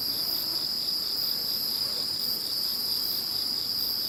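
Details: Insects calling after Typhoon No. 21 has passed: a dense, unbroken chorus of high, shrill trilling, with one steady ringing tone and a fainter, higher layer swelling in pulses about once a second. No other sounds.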